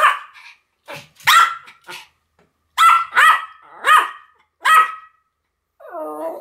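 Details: Two Pomeranians, Sam and Marin, barking in a duet: short, sharp, bright barks in uneven bursts, a quick cluster early on, then four loud barks about a second apart, ending in a softer whining yelp.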